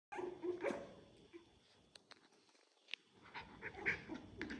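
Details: Dogs in a litter where Maya, a mother dog, plays with and stays close to her puppies: short squeaky yelps and thin whines scattered through the clip, with soft rustling and scuffling between them.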